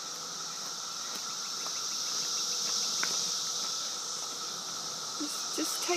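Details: Cicadas during a 2013 emergence in a yard, heard on a walk around a driveway: a continuous high, shimmering drone with a steady lower tone beneath and brief faint knocks.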